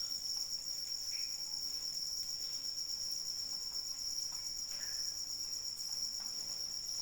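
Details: Crickets calling in the rain, a steady, unbroken high-pitched trill with shimmering overtones above it, holding one even level throughout while soft rain patter and scattered drips sound faintly underneath.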